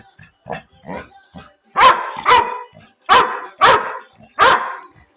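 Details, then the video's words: Pet Labrador retriever barking: a few soft low woofs, then five loud, harsh barks spaced roughly half a second to a second apart. "Dog funny sound"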